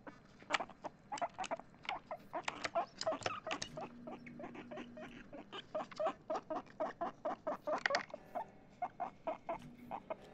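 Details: Pet guinea pig Chip, excited, utters a rapid train of brief squeaks that start dense, thin out briefly, then resume at a steady pulse of several notes per second; a faint low hum underneath.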